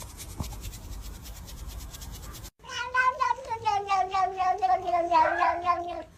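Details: Domestic cat giving a long, drawn-out wavering meow with a rich, harmonic tone that pulses and warbles for over three seconds, after a quiet stretch of low background hum and a single click.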